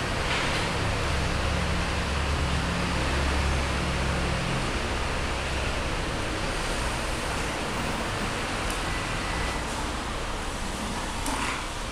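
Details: Continuous loud rushing noise, like a running vehicle or surf, with no animal call audible.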